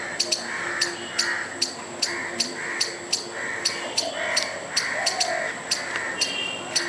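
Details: Squirrel making a furious noise while trying to scare a dog and a person; sharp clicking chips repeat about twice a second over a steady raspy background.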